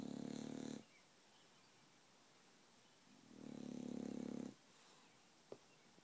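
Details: A 22-month-old female bulldog snoring while half awake, two loud rasping snore breaths about three seconds apart, each lasting under a second to one and a half seconds, with quiet pauses between.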